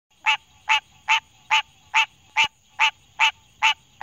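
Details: A green tree frog recorded up close in Denton, Texas, in 2018 gives a nasal, honking quonk, repeated steadily more than twice a second.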